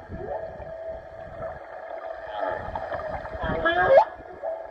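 A humpback whale sings long, harmonic moans, then a rising whoop that climbs steeply into a high squeal. Males are thought to sing, and the song probably has to do with breeding.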